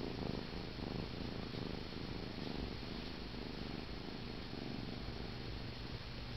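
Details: Paneer, a male kitten held in someone's arms indoors, settles toward sleep with a steady, low rumbling purr, its pulsing texture continuing evenly with no other clear sounds.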